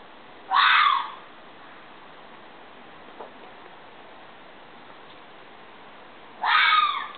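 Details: Fox screaming: two short, harsh, hoarse shrieks about six seconds apart, each under a second long, with a faint steady hiss between them and no other clear sounds.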